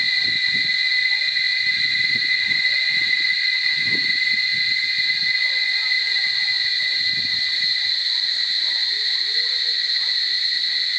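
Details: Cicadas at Barichara keep up a constant, harsh, high-pitched buzzing drone. Soft low thumps and rustles come and go in the first half, with faint chirps beneath the insect wall of sound.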